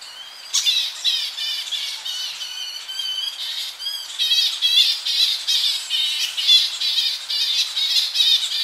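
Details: Young Tonga flying foxes squabbling in their colony in the evening, recorded close up: dense, shrill, harsh squealing calls tumbling over one another several times a second, with a slight wind in the tree behind.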